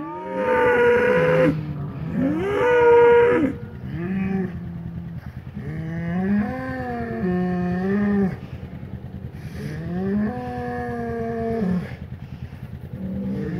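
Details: Two hornless polled Hereford bulls, Secret Weapon bloodline, fighting in pasture as they re-acquaint after the breeding season; loud drawn-out bellows rise and fall in pitch, about five long moaning calls with brief pauses, faint motor hum beneath.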